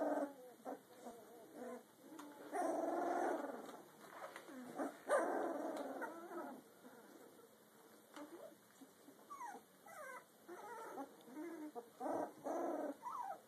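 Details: A Rottweiler mix puppy, 2 weeks and 2 days old, whimpers and squeaks in short, wavering bursts.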